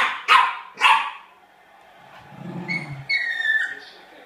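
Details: Sealyham Terrier named Pinot barks twice in quick succession, then soft whining and high thin whimpers follow, with a low murmur in the background.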